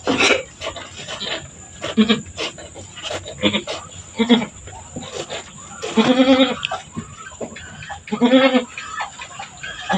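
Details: Farm goat giving birth, two kids delivered in quick succession: drawn-out, wavering bleats near six and eight seconds, with clapping, people talking throughout and a steady high electronic whine.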